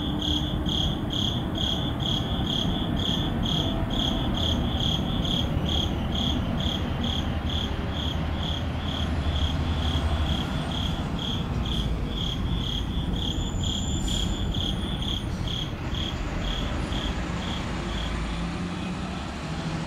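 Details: Crickets at midnight in an urban neighborhood, recorded with a Sony a7CII and ECM-M1 mic; steady high chirps about 136 per minute gradually fade toward the end while a heavy low city rumble continues.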